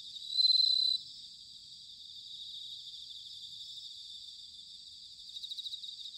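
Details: Bell cricket singing in autumn at Sanuki, Chiba, Japan: one short loud ringing phrase near the start, then a softer continuous chorus of high trilling insects with faint rapid pulses toward the end.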